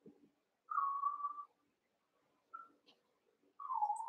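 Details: Young Cavalier King Charles Spaniel puppies, eight littermates together in a pen, wrestling and playing; steady high whines, one long held tone then a short one and a falling one, with soft rustling between them.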